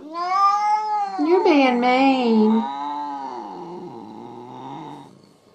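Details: Jealous pet cat giving a long, loud drawn-out wail indoors: a wavering, tonal yowl that rises, bends and slowly fades over about five seconds, with no other sounds.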